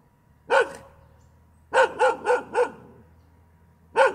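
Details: Domestic dog barking continuously: a single sharp bark, then a rapid run of four evenly spaced barks after a pause, and one more bark at the end, each short and harsh with a strong mid-pitched tone, in a quiet background.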